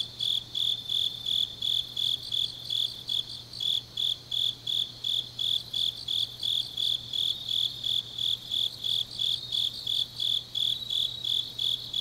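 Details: Grass insects on a deep autumn night in Changnyeong, Gyeongsangnam-do, South Korea, sing in steady high-pitched pulsed chirps, nearly three per second, with a fainter shimmering chorus behind and a low constant hum underneath.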